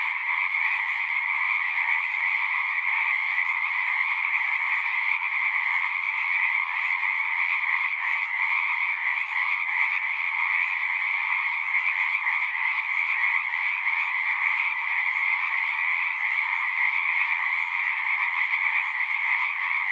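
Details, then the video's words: A continuous night-like chorus of singing frogs, a rapid pulsing buzz layered at two pitches. It stays steady and uniform without breaks, and nothing else is audible. "One hour of singing frogs."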